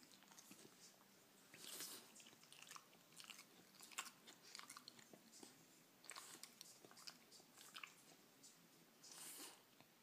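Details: French Bulldog eating cake indoors: wet, smacking bursts of chewing and biting, crackly and uneven, coming in clusters every second or two with short quiet gaps, no other clear sounds.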